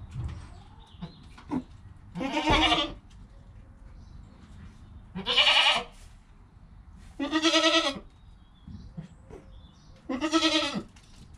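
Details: Joel, a goat kid less than an hour old, beside his mother Penny, recorded with a GoPro: four strained, harmonic bleats, each under a second long, spaced about two to three seconds apart over a quiet background.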